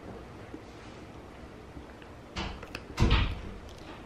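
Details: Quiet indoor room tone followed by a few brief knocks and a louder thump, with no animal voice heard.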